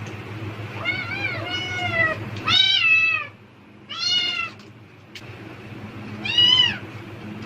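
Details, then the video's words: Pet cat calling eagerly at the sound of a plastic bag, seemingly thinking food is coming: about five separate meows, loud and drawn-out, some bending upward then dropping, with quiet pauses between, against low background hum. "비닐봉지 소리에 폭발적 반응하는 고양이 울음소리(Cat sounds in response to the sound of plastic bags)"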